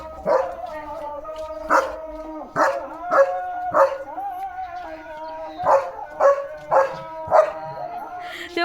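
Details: The pet German Shepherd Leo is running around during playful morning antics. Evenly spaced, crisp barks with clear harmonics ring out roughly every half second to second, over a steady low hum and occasional voices.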